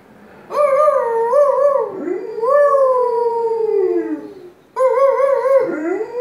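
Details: A pet dog howls in a small room: long wavering, vibrato-laden wails, one gliding gradually down, with brief dips between them and a fresh quavering howl starting near the end.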